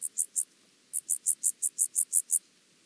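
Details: Chorthippus vagans recorded in Mörnsheim, Germany on 14 July 2023 using a Pettersson D 100 ultrasound detector: three high scratchy pulses, a short pause, then a run of about nine evenly repeated rasps before silence.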